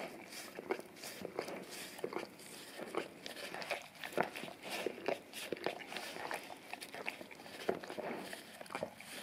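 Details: English cream golden retriever male licking a peanut-butter-covered tongue cleaning brush taped to a tile floor indoors; wet smacking licks and clicks repeat rapidly, several per second, in a small room.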